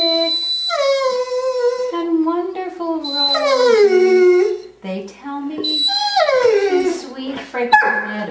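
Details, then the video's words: A 10-year-old female Curly-Coated Retriever, a pet, singing indoors as part of her nightly repertoire to "Till There Was You": long, wavering, sliding howls that rise and fall in pitch, mixed with a person singing along. "the singing dog - Curly-Coated Retriever"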